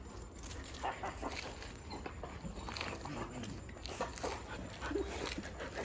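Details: Excited dogs meeting their owner after three days away, having recognised him from a distance and run to greet him; brief high whines and yelps come through scattered amid rustling, footsteps and steady background noise.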